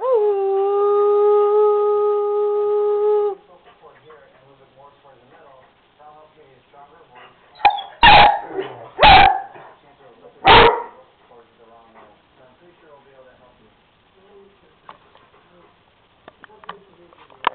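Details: Two dogs howling with a little prompting from their owner: a steady, sustained tonal howl with stacked harmonics for about three seconds, then quiet, with a few loud sharp bursts and faint voices.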